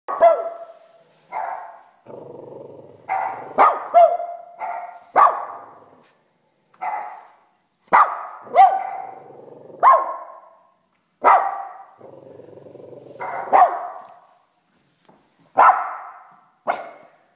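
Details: Cavalier King Charles Spaniel barking back at a barking dog on screen: sharp single barks and short bursts of two or three, separated by pauses, with low rumbling growls between some of the barks.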